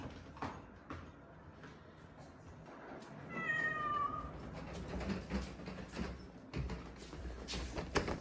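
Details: Rescued kittens, tiny and fading, found leaning on one another on a road home after a funeral; a single thin meow slides downward midway, framed by indoor rustles and taps.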